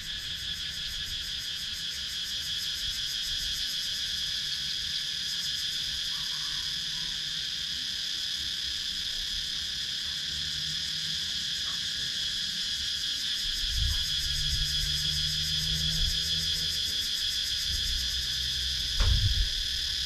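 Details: Wooded countryside of Sakon Nakhon, Thailand, filled with cicadas, captured by GoPro Hero 9: a dense high whirring chorus with a fast pulsing upper layer, plus occasional soft low thumps and a brief knock near the end.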